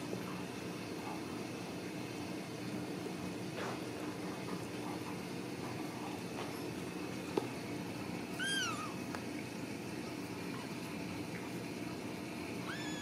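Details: Ragdoll kittens at a home cattery in central Kansas, raised without cages. One short, high, arching meow with clear overtones cuts through a steady low hum midway, and a second thin meow begins at the very end.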